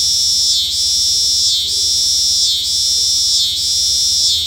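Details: A singing cicada produces an unbroken high, hissing drone that sags and recovers roughly every second, repeated evenly four times over a quiet low background.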